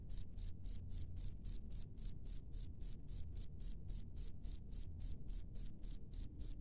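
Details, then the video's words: Cricket in the wild giving a regular train of sharp, high chirps, roughly three and a half per second, against faint low-frequency background noise. "SUARA JANGKRIK LANGSUNG DARI ALAM BEBAS"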